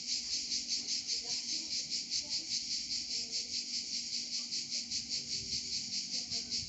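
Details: Cicadas in Provence producing a high, sizzling buzz that throbs in fast, even pulses, about two or three per second, continuous throughout.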